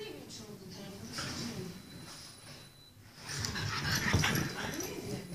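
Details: French Bulldog giving wheezy, snuffling snorts and soft whimpers, quieter at first, then a louder burst of huffing and sniffing in the second half; a person's voice is heard in the background.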